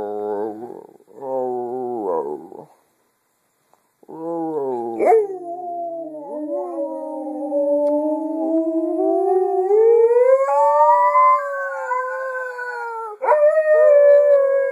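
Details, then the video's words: Pet female dog that only howls and never barks, giving short wavering yelps, a pause, then a long sustained howl that climbs higher and wobbles before breaking into another rising howl. "Funny Howling Dog Reaching Those High Notes"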